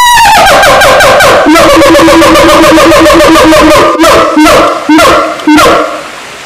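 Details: Loud siamang calling, beginning with a falling note, then a fast train of pulsed, trumpet-like hoots at an even pitch that breaks into a few separate barks before fading.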